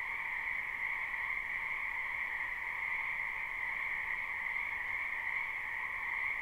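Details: Spring wetland frogs in a live recording: countless overlapping croaks merge into a constant high buzzing drone with a fainter lower band beneath, steady from start to finish.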